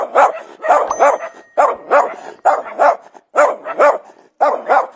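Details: Dog barking repeatedly in quick groups of two or three sharp, mid-pitched barks, roughly a bark per second overall, with short silent gaps between the groups.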